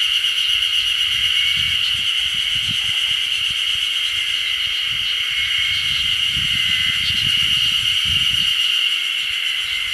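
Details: A dense, unbroken chorus of Ezo spring cicadas near Odashirogahara, Oku-Nikko, Japan, on 10 June 2015, drones high and shrill with faint pulsing; many voices blend into one ringing wash.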